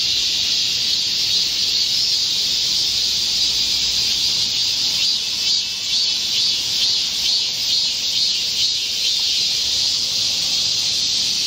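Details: Midsummer forest chorus of Korean cicadas recorded 25 July 2024 amid a heatwave: sustained high, even buzzing that surges slightly around the middle, with no pauses.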